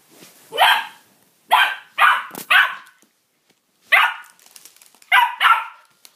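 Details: Domestic dog barking at a new toy, pouncing on it: a run of loud, harsh barks in two clusters, three quick barks then a pause and three more, nothing else in the background.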